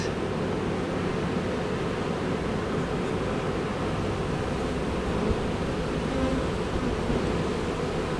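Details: Big pile of swarming honey bees, some 20,000 workers with a single queen making her way into the hive; continuous thick low buzzing, even in loudness, with no breaks.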